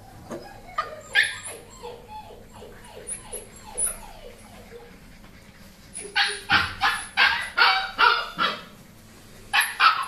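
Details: Labrador Retriever giving a run of whimpering, falling yelps early on, then a steady series of loud, evenly spaced barks about every half second, ending with another short burst.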